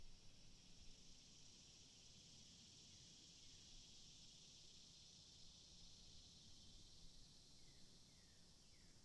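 Cicadas keep up a steady, shimmering high-pitched drone without pause, with low rumbling background noise.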